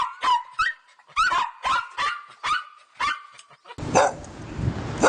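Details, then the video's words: Dog barking in rapid, ringing barks with a slightly yelping edge, seven or so in quick succession, ending in a harsher burst over hissing noise. "Dog barking"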